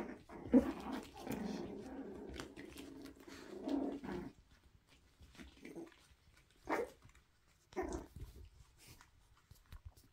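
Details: Toy Poodle puppies playing indoors while being introduced to a balance board, with an adult Griffon Bruxellois nearby: a low, sustained growling rumble for about four seconds, then a few short yips and scuffles spaced a second apart.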